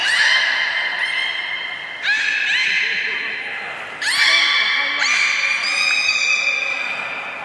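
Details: Beluga whale at Port of Nagoya Public Aquarium on 3 February 2019, around feeding and play time: bright harmonic whistles, steady or gently rising, starting abruptly about every one to two seconds in an echoing hall.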